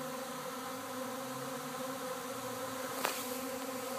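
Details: Many honey bees swarming and settling by a fig tree at a house in Arcata; an even, droning hum with steady low bands and a short bright crackle near the end.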